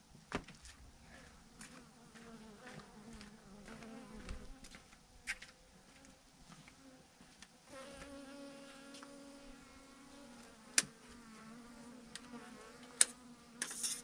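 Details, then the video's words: Massive swarm of thousands of bees clumped together on a branch; a soft, low continuous drone runs throughout, wavering slightly in pitch, with frequent sharp ticks and crackles over it. "thousands of BEES hanging on a branch in a massive clump"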